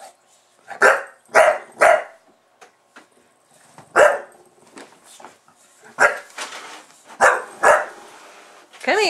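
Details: Pet bulldog named Buster going wild when the camera starts recording: quick bursts of two or three hoarse barks separated by brief pauses, with faint grumbling in between and a rising squeal at the very end.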